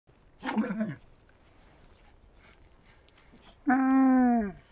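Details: Camel giving a brief rough grunt, then after a pause a drawn-out, nasal, harmonic moan of nearly a second that sags slightly in pitch, over quiet background hiss.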